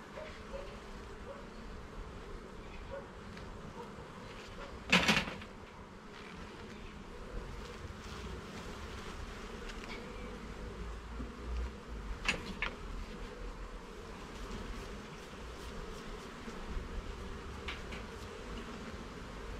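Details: Honey bees buzzing in an even, sustained drone during a garden hive inspection, two loud sharp knocks near five and twelve seconds and lighter clicks later.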